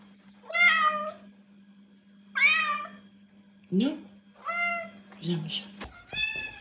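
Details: Domestic cat meowing indoors, used to attract cats or make them react: several drawn-out, harmonic meows about two seconds apart, some bending down in pitch, plus a short chirpy call, a human voice and a faint steady low hum.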